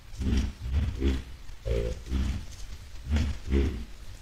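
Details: A group of white-lipped peccaries on the way to a salt lick, 10 July 2022: deep, rough grunts with stacked harmonics, repeated roughly every half second in a loose chorus.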